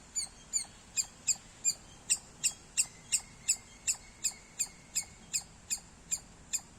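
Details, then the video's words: Loud squirrel chirps: a series of short, piercing high notes spaced roughly every third of a second, evenly paced and bright, with a faint thin whistle-like tone briefly underneath and quiet background hiss. "Loud Squirrel Sounds -squirrel chirping Sounds Loud"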